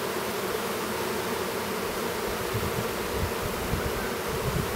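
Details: An apiary near Duluth, Minnesota, as a young drone honey bee chomps at his cell to emerge; a dense, even, droning hum of bees fills the whole stretch, with faint low knocking beneath.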